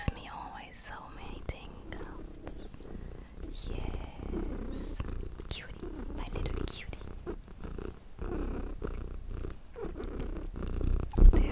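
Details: Small pet cat purring indoors, a low steady rumble running under the whole stretch, overlaid by soft close whispering, occasional mouth clicks and light rustling.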